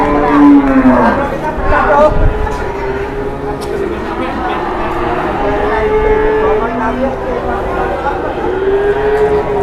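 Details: {'caption': 'Cattle in Indonesia, morning: a strong low moo opens, followed by several softer, longer humming moos spread over the next seconds, amid talking and background bustle.'}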